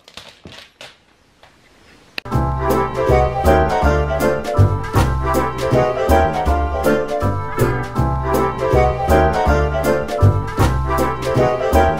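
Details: Two seconds of near silence, then steady keyboard and piano music with a regular beat and no animal voice.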